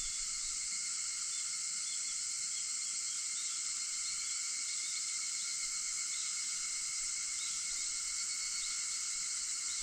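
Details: August 4, 4:50 a.m.: cicadas fill the dawn with a continuous high, buzzing drone, even in loudness from start to finish, its layered ringing bands steady and uninterrupted.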